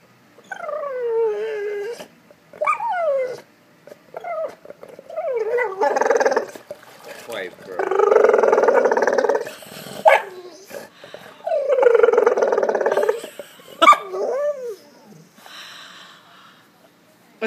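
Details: Golden Retriever wanting a ball in a pool whines in falling, nasal cries, some short and curling, others long and sustained, repeated in bouts with gaps; a person talks to the dog in between.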